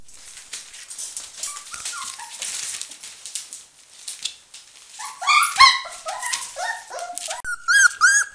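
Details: Four-week-old Border Collie puppies with their mother Nova, a Finnish champion, give overlapping high whimpers and yelps, faint and scattered at first, then louder clustered squeals in the final seconds.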